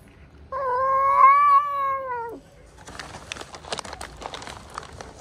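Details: Meowing cat, described as sick, very hungry and wanting love: one loud, sustained, wavering meow of nearly two seconds dropping off at the end, then rustling and scratchy handling noises.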